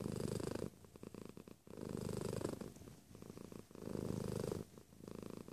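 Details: Domestic cat giving a close, strong purr, low vibrating rumble in loud surges about every second and a half, separated by softer rattling breaths.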